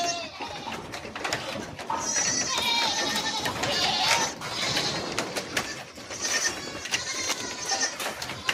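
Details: Goats at a farm in Etawah offering Barbari and Jamunapari breeds, bleating repeatedly in wavering, nasal cries that overlap one another, with people talking in the background.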